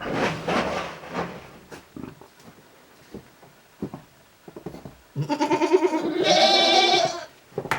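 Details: ['Goats spending time in their shed, chewing cud, at a Japanese goat farm, 29 January 2023; after rustling and soft knocks, one long, strongly pulsed, vibrato bleat lasting about two seconds.']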